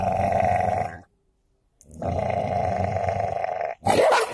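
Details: Golden Labrador and cocker spaniel in a fight, giving continuous throaty growls, a brief silent pause, then more growling ending in a sharp snarl.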